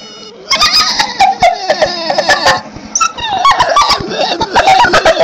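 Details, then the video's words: Dog giving high, squeaky, dolphin-like cries: a rapid run of short squeals and chirps that bend up and down in pitch, with people laughing and talking over the calls throughout. "Dog sounds like dolphin"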